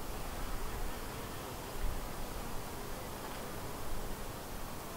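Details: Many western honey bees buzz around their hive, a colony split from another hive that is doing well, in a steady, low, blended hum with no single bee standing out.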